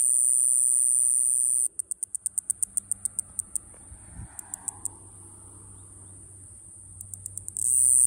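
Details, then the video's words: Mogannia minuta cicada from Okinawa, Japan: a continuous high, thin buzz that breaks into a run of evenly spaced short pulses, pauses to near silence, then returns to pulses and the steady high buzz. "イワサキクサゼミ セミの鳴き声沖縄"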